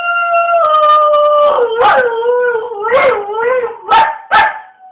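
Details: Dog howling or singing on a rainy day; long sustained tonal howl that wavers and dips, ending in short rising yips.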